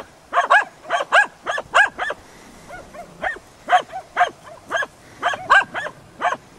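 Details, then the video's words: Hunting dogs Prle and Pirana baying at a dead deer at Salas, 8 September 2012: loud, hoarse barks come in quick pairs and short runs separated by brief gaps, with fainter yelps in between, outdoors. "ABBAIO AL CERVO MORTO"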